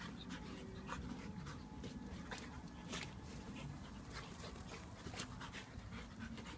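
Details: Labrador Myla, a one-year-old pup, play-fights with Blade the Japanese Akita in a garden; continuous hoarse, rapid panting with short noisy huffs throughout, over a low background hum.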